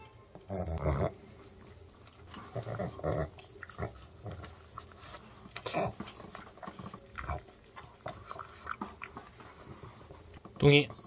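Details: Male pug indoors eating homemade dog-safe chicken made from chicken breast, broccoli, paprika and rice flour. Loud snuffling, snorting bursts come in clusters near the start and middle, with wet chewing in between and a sharp click near the end.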